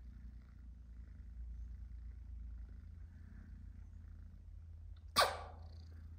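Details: Male cats, British Shorthairs and a domestic shorthair, sharing a bed and sleeping close together: a quiet, even low purr continues throughout, broken once near the end by a single sharp click-like sound.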